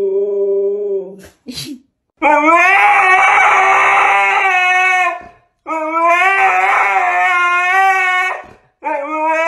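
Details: Dramatic Siberian Husky howling: a brief yip, then two long sustained rich howls of about three seconds each separated by a short pause, and a final howl starting at the end.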